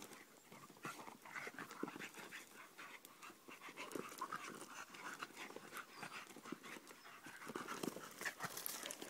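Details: A Staffordshire Bull Terrier playing rough with its mother pants and snuffles in quick, breathy bursts.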